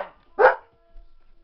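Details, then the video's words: An Alaskan Malamute indoors barking at his own reflection in a mirror: one short, harsh bark, with a faint earlier sound at the start and a person's voice nearby. "Mali the Malamute scared of himeself in the mirror"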